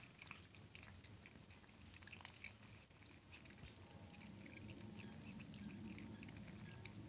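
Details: At night a hungry kitten crunches dry pellets from its bowl indoors. Quick uneven bursts of brittle crackling and clicking repeat several times a second against a soft low droning background.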